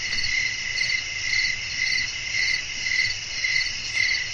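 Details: At night a cricket chorus chirps outdoors, high ringing pulses swelling and fading in a clear rhythm close to twice per second, low wind murmur beneath.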